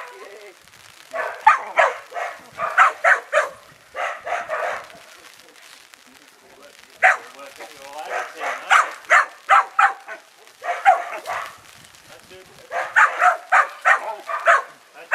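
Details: Five-month-old Kelpie pup, a working-bred dog on its first day ever seeing sheep, giving bursts of sharp, high yappy barks in quick clusters with short pauses between runs.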